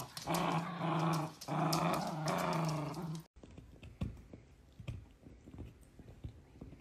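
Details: Miniature dachshund growling while playing: two long, strong, throaty growls fill the first three seconds, then an abrupt cut leaves softer clicks, scuffles and faint room noise.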